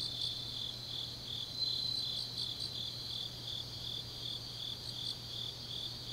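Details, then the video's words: Autumn grass insects singing deep at night in Changnyeong, South Gyeongsang, South Korea: a quiet, continuous high-pitched ringing chorus with a few faint pulsed chirps scattered through it, and a steady low hum beneath. "깊은밤 가을 풀벌레 소리"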